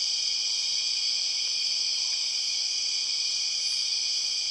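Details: Empress cicadas in the Borneo rainforest: an unbroken, loud, high drone stacked in several bright bands, steady in volume throughout, with a faint short note barely showing beneath it.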